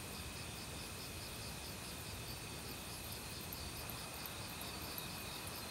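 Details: Crickets in an autumn forest, sounding together with other insects. Steady rapid trilling and a high continuous ring sit over the broad, even noise of a flowing stream, with faint high ticks near the end.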